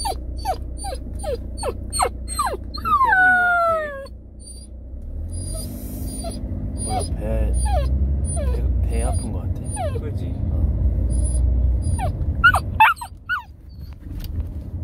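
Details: Samoyed puppy, suddenly ill one morning, crying out as if in pain; high falling whimpers in quick succession, then a person speaking over steady low rumble, with more whines toward the end.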